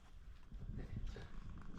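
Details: Siamese cat Shamue giving a booming purr to block a bath; a low, rough, pulsing rumble that swells and eases in quick rhythm, with faint background hiss.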